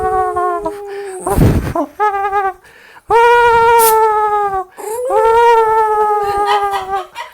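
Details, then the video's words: A Jack Russell Terrier kept as a pet, trying to talk: several drawn-out tonal howls and whine-like vocalisations with strong harmonics, rising and wavering, separated by short pauses, with a brief noisy breathy burst between calls. "Dog Jack Russell talking"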